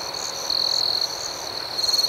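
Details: Crickets at night give a shrill, continuous trill that briefly grows louder mid-clip. Rapid pulsing chirps overlay it toward the end.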